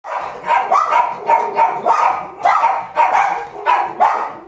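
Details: Two dogs barking at another dog, recorded 31 January 2017: a rapid run of sharp, loud barks, roughly two per second, each bark a short burst, steady and insistent throughout.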